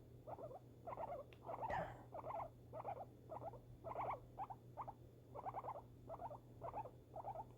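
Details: A pet female guinea pig, unsettled by fireworks, gives a long steady series of stuttering chirp bursts, roughly two per second, with a faint low hum underneath and one brief sharp click.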